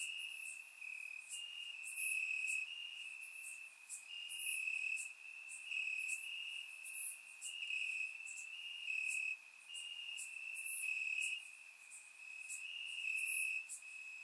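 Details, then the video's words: Several crickets sing in the grass on a warm Bulgarian summer night. An unbroken high-pitched trill runs throughout, overlaid by louder rhythmic bursts of chirps that swell and fade in waves. Recorded with a surround microphone. "Cricket Sounds - Crickets Chirping at Night"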